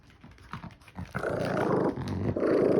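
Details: Kkul, a puppy, at play gives a playful growl that builds from a few soft grunts into a sustained rough, rumbling growl that grows louder toward the end.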